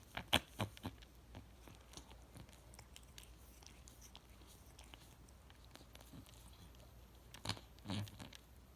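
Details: A cat grooming itself with loud licking: soft wet clicks and smacks in irregular bursts, clustered at the start and again near the end, with quieter rhythmic licking between in a small indoor room.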